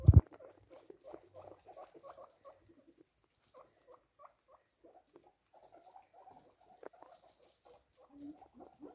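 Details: Guinea pigs shortly before dinner, giving short chirping and squeaking bursts in quick irregular runs, with a few quiet gaps, one sharp knock at the start and light rustling.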